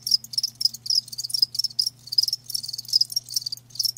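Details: Live crickets chirping in a natural recording: rapid pulsed bursts of high, bright trilling, several overlapping callers repeating every fraction of a second, with a faint low steady hum underneath.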